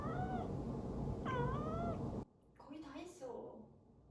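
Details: A domestic cat gives drawn-out, wavering meows of complaint, apparently objecting to the loud clatter as dishes are washed and put away.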